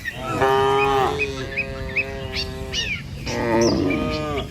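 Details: Tame village cattle on their way to grass: one long steady moo lasting about a second, then a lower trailing call and a wavering moo near the end, with bird chirps scattered above.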